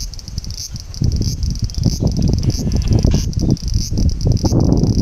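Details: Bear cicada singing in summer heat, partway through the summer holidays: a high, hissing buzz pulsing in rapid repeated bursts about three or four times a second, over heavy low rumbling noise.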